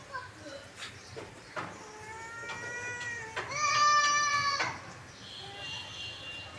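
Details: Cute kittens playing on grass with their mother; a drawn-out tonal meow is followed by a louder, steadier, higher cry, with soft clicks and rustling, faint speech and background noise.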